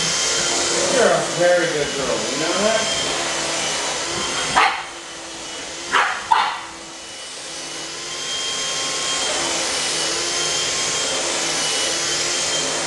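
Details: Indoors, Pug puppies Otis and Gucci bark while mother Gracie is vacuumed with a handheld cleaner. Wavering whiny notes sit under the loud motor hum. After it cuts off, three sharp barks land, two close together, before the vacuum starts again.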